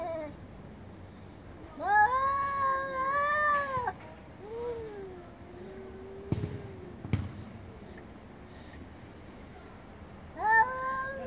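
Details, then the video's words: Angry cats chorus of domestic cats: a loud arched yowl, then a quieter long falling moan, a couple of clicks, and a final sharp rising meow. "Cats meowing very loudly │Angry cats chorus"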